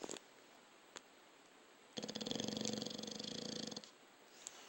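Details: Dog snoring in its sleep: one long vibrating, rattling breath lasting about two seconds, with a few faint clicks before and after in an otherwise quiet room.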